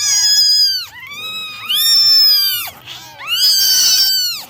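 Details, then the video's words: Three long, loud kitten meows, each sliding up then down in a bright harmonic arc, about a second and a half apiece, recorded during a morning drying routine for a litter of nine kittens. "9 Kittens Meowing Original Sounds"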